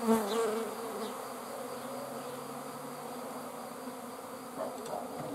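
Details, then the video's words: Swarming honey bees produce a continuous broad humming drone that holds steady throughout, with a few faint tonal sounds at the very start. "(A swarm of bees) Roj Pčela"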